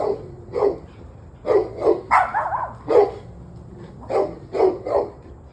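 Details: Evening in November, a dog barking after an hour and a half of on-and-off barking: steady single barks roughly every half second, with one higher whining yelp in the middle.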